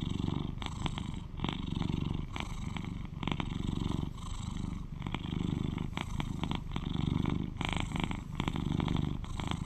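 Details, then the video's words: Purring of an 11-year-old male British Shorthair house cat, the loudest purrer of his household: a steady low rumble close to the microphone, swelling and easing with each breath, with crackly bursts roughly every second. "Sweet Cat Purrs to Lull You to Sleep"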